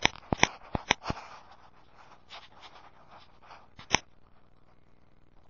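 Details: Sharp dry clicks and crunching, with soft shuffling between them, in a small indoor room. No animal voice.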